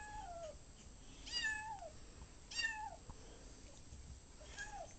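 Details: Ocicat on its first day home, chasing a laser pointer indoors. Several short, quiet meows and chirps fall in pitch, about four in five seconds, over a soft room hiss.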